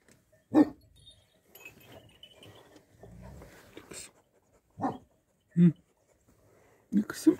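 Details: Kangal flock guarding dogs at Dinek village, Sivrihisar, Eskişehir, Turkey: sharp, deep barks in short, separate bursts, one early, then a close pair and a final double bark, with soft murmuring voices in the gaps.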